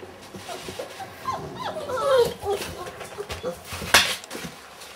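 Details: Thirty-day-old Weimaraner puppies whining indoors, rising and falling squeaky whimpers clustered in the middle, ending with a sharp click-like knock, faint room noise behind.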